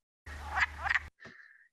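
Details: Wood frog at a Vermont vernal pool, its duck-like call: two quick, raspy clucks, followed by a brief thin whistling tone.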